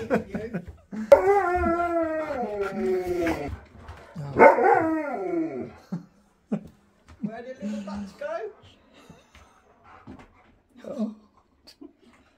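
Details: Siberian husky on a road trip gives drawn-out, wavering howls that slide downward over the first few seconds, then a second rising-falling howl. Softer whines and human speech follow, with music heard nearby.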